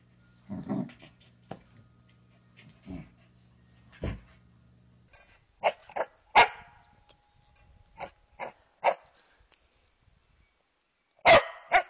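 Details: Mona Lisa the Corgi, a pet dog indoors, giving short sharp barks and yelps scattered irregularly over twelve seconds, ending in one loud bark, with a low electrical hum during the first five seconds.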